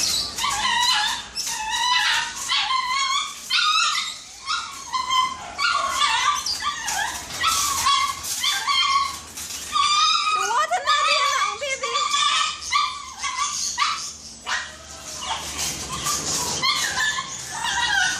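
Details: Snow, a Shih Tzu on her first visit to the groomers, gives a steady run of high, nasal whining yelps, roughly one a second, some bending upward, continuing almost unbroken throughout against a constant background hiss.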